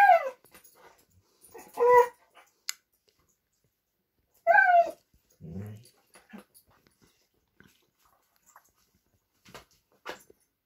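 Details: Dog indoors at playtime, a Vizsla and a Doberman competing over a new toy; loud, high whines sliding downward, two long ones a few seconds apart, then a short low grumble and scattered small knocks in a quiet room.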